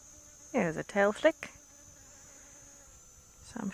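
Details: A little bee flies close around a person outdoors as clouds roll in and the air cools. Its buzzy, droning hum comes in several short passes that swell and fade, with a pause before a final pass. A thin steady high whine runs throughout.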